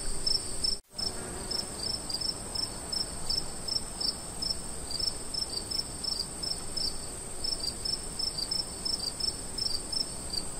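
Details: Crickets chirp in high, steady pulses over a constant thin insect whine, recorded in the woods while camping.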